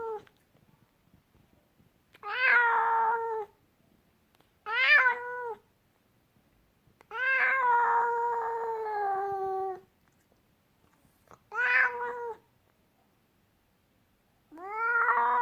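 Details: Indoor angry cat calling in complaining meows: short bursts alternate with one long, sustained, nasal wail lasting nearly three seconds, each note starting high and falling, with quiet gaps between them.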